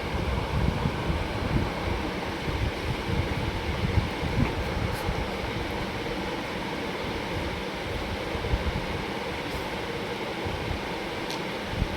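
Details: Dense broadband rumble like a moving train or vehicle, steady throughout with a few faint clicks, and no animal voice.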